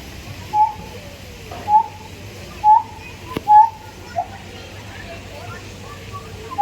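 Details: Siamang giving short, clear tonal hoots at a steady mid pitch, spaced about a second apart with small pauses between, over a faint, even background hiss.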